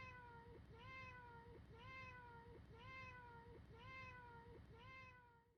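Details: One cat's short meow, repeated identically about once a second, a clear harmonic mew with a slight rise then fall, fading out at the very end.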